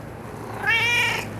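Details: Mish Mish, a pet cat, lets out a single bright meow that swells and holds steady for about half a second before fading.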